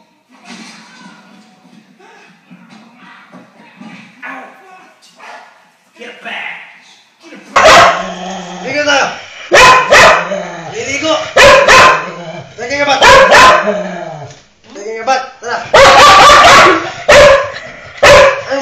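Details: Dog resisting a bath, unwilling to bathe on command: quiet voices for the first seven seconds, then loud, sharp barks burst out in irregular clusters, with people talking between them.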